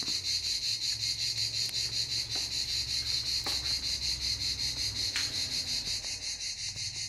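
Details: A cicada chorus at Canet-en-Roussillon, France, gives a shrill, continuous high metallic buzz throbbing with fast regular pulses, with faint low rumbling far beneath.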